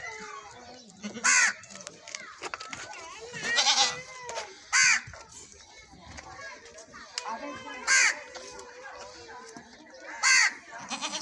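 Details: Repeated short, loud goat bleats, about five across the stretch, break through steady background conversation while a goat is milked.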